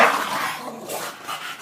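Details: Shena, a female Bulldog, angry and fighting, lets out a harsh, noisy bark at the start, followed by rough, breathy growling sounds while a person urges her on with repeated 'come on'.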